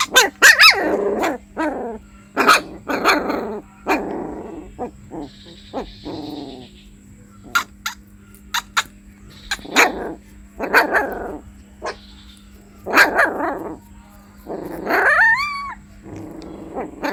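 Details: Puppy crying with short broadband yelps and whimpers in uneven bursts, some high whining tones rising and falling near the end, a steady low hum underneath.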